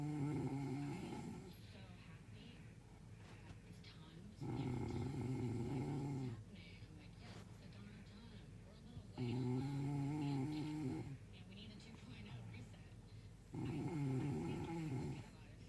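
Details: Steady all-night snoring of a sleeping dog: four low, vibrating, droning snores, each lasting about two seconds, come roughly every four to five seconds with soft breathing in between.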